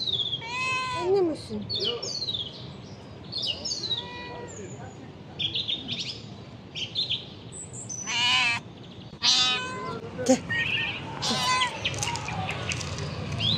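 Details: Very hungry mother cat, a stray fed near shops while her kittens are missing, meowing again and again with arching, rising-falling cries about once a second, mixed with short sharp bursts, voices and background noise.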